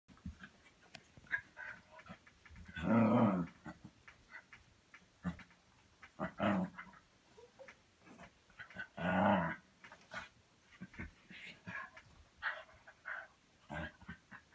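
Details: A dog playing gives drawn-out, throaty groaning noises, with softer snuffles and clicks between them.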